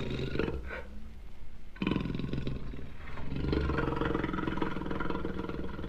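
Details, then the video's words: Jaguar giving deep, rough growling roars with strong low rumbling tones, broken by a brief pause near the two-second mark before the hoarse roaring resumes steadily. "jaguar sounds vol 2"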